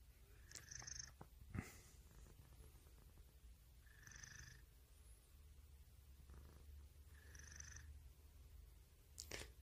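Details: A domestic cat's continuous low purr, with soft breathy bursts about every three seconds and a few sharp clicks and rustles.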